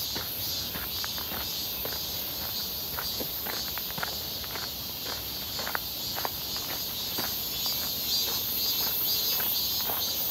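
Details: Shrill, continuous buzzing of cicadas during a midsummer walk near Seonbawi on a clear, hot 1 August 2023, the drone rising a little near the end, with steady footsteps crunching underfoot throughout.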